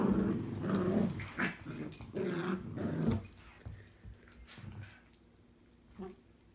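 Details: Indoors, two Cavalier King Charles Spaniels, tricolour and Blenheim, fight and bark over a string toy; loud overlapping growls and snarls for about three seconds, then quieter, with a single short yelp near the end.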